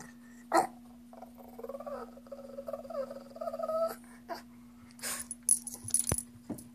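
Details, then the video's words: Pet Shih Tzu Chrissy begs for a treat with a drawn-out, wobbling, whiny moan of bending tones after one sharp yip, followed by faint clicks and rustling indoors under a constant hum. "Alien Shih Tzu Wants Treats"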